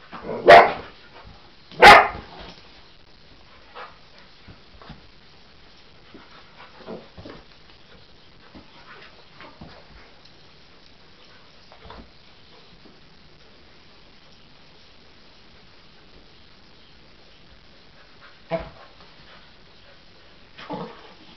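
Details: Cocker Spaniel Husky dog seeing a toy animal for the first time and reacting as if it were real: two loud sharp barks close together at the start, then long quiet stretches broken by two fainter single barks near the end.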